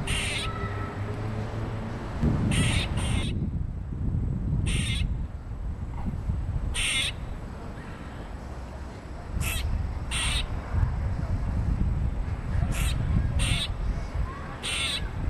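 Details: An upset squirrel scolds the person filming: grating, buzzy bursts, sometimes in quick pairs, scattered irregularly through a persistent low-frequency roar.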